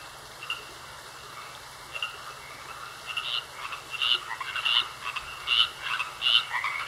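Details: Frogs in a pond, croaking calls building from faint to loud in the second half, short pulsed notes repeating at an irregular pace over a steady high hum.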